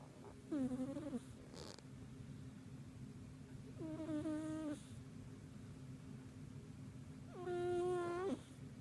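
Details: Snores from a pet cat fast asleep indoors: three nasal, whistly tones, each dipping then leveling, the last one longer and louder, spaced about three seconds apart over a faint constant hum.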